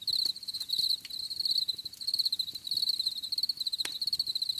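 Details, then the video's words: Crickets chirping for relaxation: a steady high-pitched pulsed trill in short bursts, repeated roughly one and a half times per second, with a few faint clicks beneath and no other animals. "Les grillons || Bruit de Grillons Pour la Relaxation Anti Stress"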